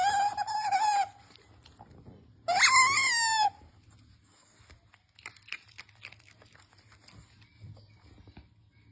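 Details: Otter Usomaru makes cute noises while begging for his treats in a small room: two loud, strained, harmonic squeals about a second each, then quieter crunching and rustling as he eats.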